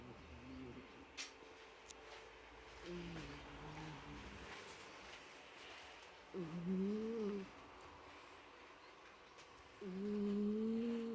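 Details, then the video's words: Pet cat Mike asleep indoors and snoring: three whistling, humming breaths roughly every three to four seconds, each rising gently in pitch, with low room noise between them. "家の猫ちゃん ミケさんのいびき"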